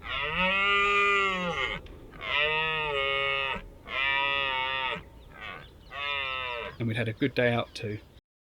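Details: Red deer during the rut in Richmond Park: a series of four drawn-out, harmonic, arching roars about a second and a half each, separated by short pauses, ending in a burst of quick, choppy grunts.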